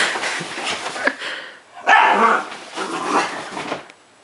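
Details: Pug dog giving a run of harsh, noisy barks and yaps in a small indoor room, with a louder, fuller burst near the middle and shorter rough calls before and after, then quiet.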